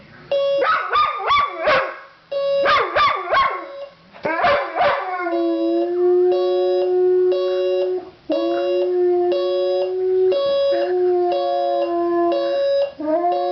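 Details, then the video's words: Pet dog Oscar howling in response to a beeping alarm clock: opening bursts of sharp yelping barks, then long sustained wavering howls held over the steady electronic beeping of the alarm. "Oscar howling at the alarm clock"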